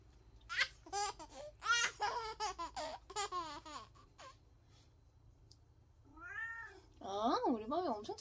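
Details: House cat meowing as if saying "안해" ("no"), heard after several seconds of loud human talk and laughter; two drawn-out, wavering meows that rise and fall in pitch, indoors.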